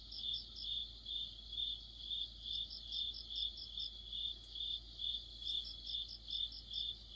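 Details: Autumn insect chorus led by crickets, a high chirp pulsing roughly twice per second, overlaid now and then by short runs of a sharper, higher trill from another insect; quiet steady hum underneath.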